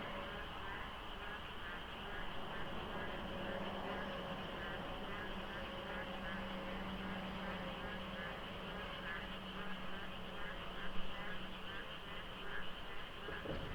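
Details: Frogs calling before dawn during the monsoon rains by the Deokso IC expressway interchange, light fog, sparse traffic: a dense, continuous chorus of overlapping pulsed, quacking croaks fills the darkness over a low steady rumble of passing vehicles.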